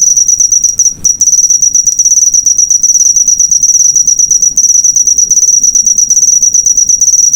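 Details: Cricket used as a training recording for cage birds: a loud, high, rapidly pulsed trill, briefly interrupted near the start and again midway, otherwise continuous.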